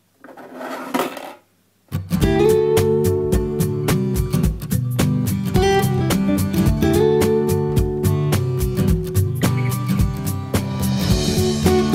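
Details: A brief burst of noise, then a short pause, gives way to steady strummed and plucked acoustic guitar music with a low bass line that runs to the end.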